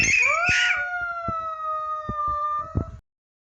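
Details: A pet puppy "singing" for its owner, giving one long, steady, drawn-out howl lasting about three seconds. The tone is clear and slightly wavering, with a brief rising start, and light tapping or knocking sounds in the background.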